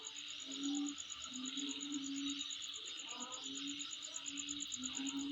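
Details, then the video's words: Insects calling: a steady, finely pulsed high-pitched trill runs unbroken throughout, over a broad hiss, while a low hooting tone repeats beneath it about once a second. "Sound Of Insect In My Place"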